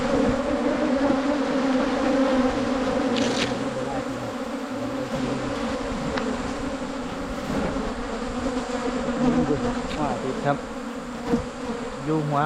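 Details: Asian honey bees buzzing during a 2022 wild honey hunt in Thailand. A thick, unbroken swarm hum with a low droning pitch runs for the whole stretch, with a few brief clicks and rustles on top.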